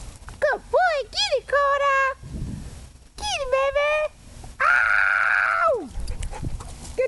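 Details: A pet wolfdog, described as lower mid content, plays with his favourite toy, a pool. He gives arching, tuneful whines and yowls in bursts, then one long, drawn-out moan that drops sharply at the end. A person's voice urges him on.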